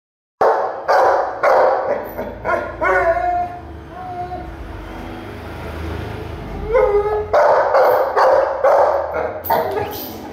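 A Saint Bernard barks in deep, loud, repeated woofs, with a brief harmonic whine between bursts.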